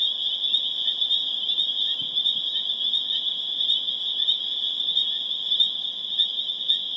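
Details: A dense spring peeper (Pseudacris crucifer) chorus building to a crescendo in Harvard, Massachusetts, on April 27, 2011: countless high, piercing peeps merging into one continuous shrill ringing.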